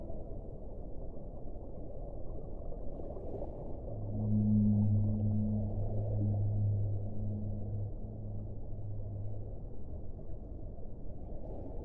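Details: Underwater rumble gives way midway to a whale's deep, steady moan with a softer overtone. The moan lasts about six seconds, breaking briefly before it fades back into the background noise.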